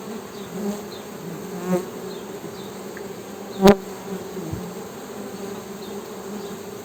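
Honey bees give a steady, low droning hum with a few soft clicks and knocks.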